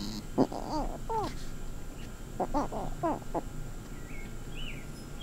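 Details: Lil BUB, a female cat, squonking and squirggeling in a rare vocal performance: short squeaky harmonic bursts, a few at the start and a tighter cluster of four near the middle, over a low steady background hum.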